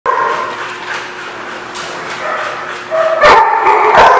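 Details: Dogs at a boarding place recorded on 20 May 2016; overlapping yips and barks in a rapid, irregular chorus that grows louder and sharper after the third second, with a continuous din of many animals.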